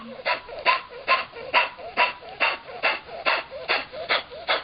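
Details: Mickey, a Chihuahua x Miniature Pinscher shelter foster dog rescued from an animal shelter, suffering from kennel cough in early 2010: harsh hacking bursts repeated about twice a second in a steady rhythm.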